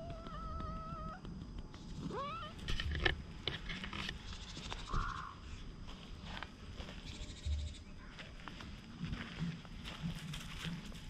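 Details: Wary brown tabby stray cat, outdoors and being petted, filmed on a GoPro HERO8. A drawn-out, wavering meow opens the first second, then a short rising call near two seconds, over a steady low rumble.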